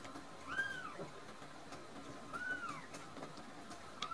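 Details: Rescued baby kittens Nan-chan and Cookie-chan, drowsy after a full feed of milk. High, arched mews repeat about every two seconds, three in all, with soft clicks and rustling in a quiet indoor setting.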